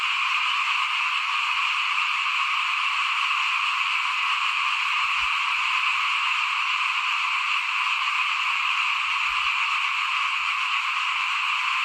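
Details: Frogs heard in front of a house while rice is being sown, 2021, make a continuous shimmering, buzzy chorus that holds at an even level for the whole stretch, with only faint low rumbles beneath.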